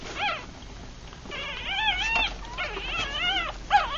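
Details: Three-day-old Rat Terrier–Chihuahua cross puppies, eyes closed, feeding; softer wavering whines trail over one another, quieter and blurred, ending in a short sharp squeak.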